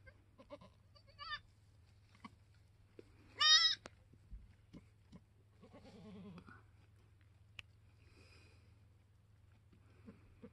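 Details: Newborn F4 Mini Alpine buckling, black with white frosted ears and nose, the third kid born on a homestead on March 13, 2021: a loud, high, quavering bleat, then softer, lower short calls over a steady low hum.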